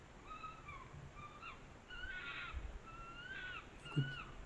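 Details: Red foxes quarrel at night over food (seeds, bread) in forest of the Préalpes d'Azur above Grasse, France, on 6 October in autumn at about 3°C, with thin, bending whines, harsh scratchy chatter, in quick bouts; a soft thump near the end.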